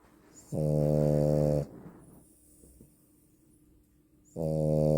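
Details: Female French Bulldog snoring: two long, droning, buzzy rasps about a second each, rich in low tones, separated by a quiet pause of nearly three seconds with soft breathing.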